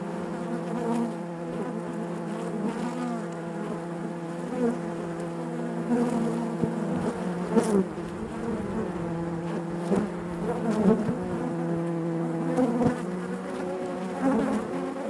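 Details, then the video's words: Bees buzzing naturally inside their hive: a dense, steady droning hum with layered overtones, swelling slightly as individual bees pass close, with faint soft ticks scattered throughout. "bees therapy hive natural buzzing sound"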